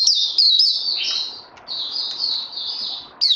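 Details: Training session for a Puteh (white-eye), 18 May 2020, after Covid-19. Sustained high, sweet trilling warble, briefly pausing mid-phrase, then resuming and ending with a sharp chip.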